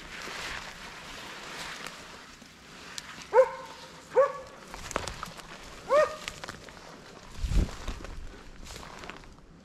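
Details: Baying of the Slovakian hound Arrow held on wild boar during a November 2022 driven hunt in Sweden: three spaced tonal barks amid rustling undergrowth and footsteps, with a low thump near the end.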